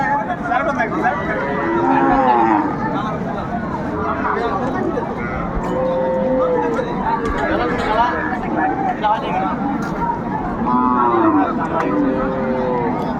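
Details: Cows and calves at a cattle market in Bangladesh, several animals mooing in long, drawn-out, wavering lows, some rising then falling, overlapping a steady din of crowd chatter and people bargaining.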